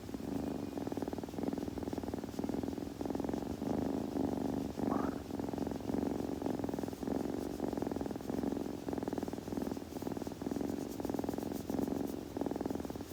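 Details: Kitten purring steadily while grooming, a continuous low rumbling purr with pulsed rhythm in alternating breaths over thirteen seconds, soft licking and grooming sounds, one brief faint rising squeak midway.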